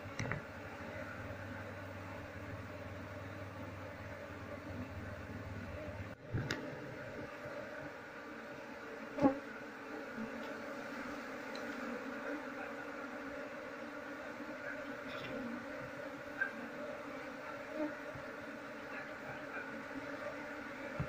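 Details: Honey bees droning during a colony move into a cultivation box, queen not captured. A continuous, multi-toned buzz fills the recording, with a low rumble at the start and scattered light clicks and taps.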